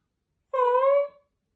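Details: Dying pet cat, drowsy and barely conscious, answering its family's comforting words with what became its last meow: one clear, steady, tonal meow of about half a second in a quiet indoor setting, tailing off softly.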